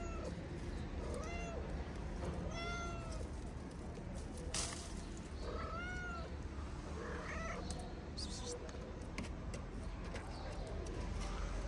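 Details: Stray cats in Morocco: a mother cat eats while her kittens play-fight on her wooden house. Four short, arched, high meows come at about 1.3, 2.7, 6 and 7.5 seconds over steady low background noise and scattered clicks.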